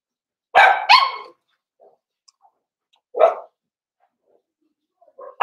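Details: Cavalier King Charles Spaniel puppies socializing with several bigger household dogs: a quick double bark, faint soft yips, a single bark about two seconds later, then more light yips and the start of another bark.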